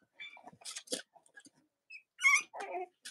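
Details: Young Cavalier King Charles Spaniel puppies of Robin and Myra's litters, indoors on a chilly US Monday morning around Halloween; scattered soft squeaks, then a sharp high squeal followed by a lower wavering whine.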